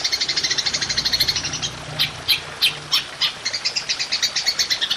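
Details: Golden grasshopper (belalang emas) in long 'nembak' shooting style, a recording used for training songbirds: rapid trains of high buzzy pulses, briefly broken by a few sharp, separate clicks midway, then resuming steady pulsing.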